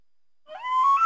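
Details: Elk. After a moment of quiet, an elk's pure whistled tone begins low and rises quickly. It then levels into a sustained, flute-like note and climbs slightly again before breaking off abruptly.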